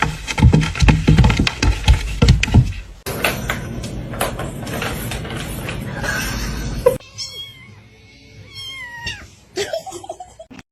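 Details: Cat. Thin, high-pitched kitten meows come near the end, each a brief wavering note that bends up and then down. Before them, people laugh and talk loudly over background music.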